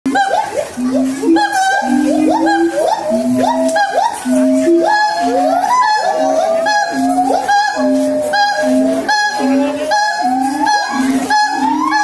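Siamang song: loud, ringing hoots repeated in quick succession, rising into swooping whoops.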